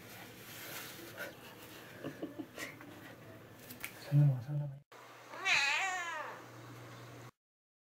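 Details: Domestic cat indoors at home, wanting his dad to call out to him on coming home: after soft low voices and a steady hum, one long, loud meow with rich rising-then-falling harmonics.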